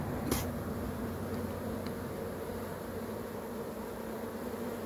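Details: Swarming honey bees make a continuous low buzzing drone. A sharp tick opens the recording and faint clicks follow.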